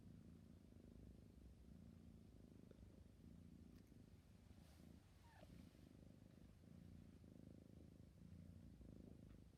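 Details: Drowsy kitten purring in a deep, even rumble that rises and falls in rhythmic breath cycles, with one short faint squeak partway through.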